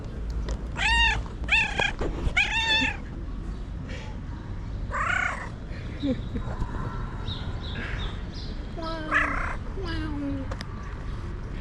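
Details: Cat meows meant to attract other cats: three clear arched meows in quick succession at the start, then softer, scattered mewing calls and low background rumble.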